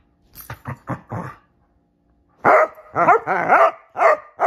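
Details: Shelby and Roxy, two Basset Hounds, mid-game of hide and seek: a few softer quick woofs, a short silence, then loud, drawn-out baying barks repeated roughly every half second.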